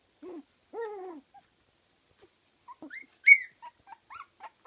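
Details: Kooikerhondje pups at 15 days old, from a Swedish kennel litter: a couple of lower moaning whines, then higher squeaky rising whimpers and short yelps in quick succession.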